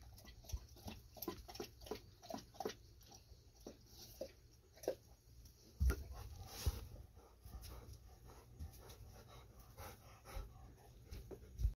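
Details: Golden Retrievers Ibuki and Kohaku drink plenty of water after a walk. Brisk, rhythmic tongue-lapping splashes fill the first five seconds, then give way to sparser, louder slurps and pauses over a low background rumble.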